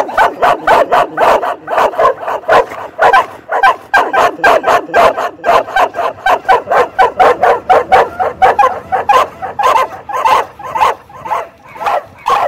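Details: Australian Cattle Dog barking rapidly and continuously, with dense yappy barks repeated about twice a second throughout.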